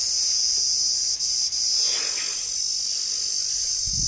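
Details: Insect calling by a banyan tree outdoors in Tamil Nadu, India; a continuous, very high, shrill ringing drone holds steady throughout, with brief faint rustles and a low thump near the end.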